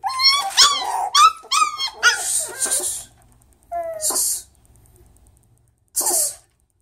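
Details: Mixed Miniature Schnauzer, poodle and Chihuahua pups indoors: a quick run of squeaky, whining yips over the first two seconds, then hissy scratching bursts and one short, falling whimper.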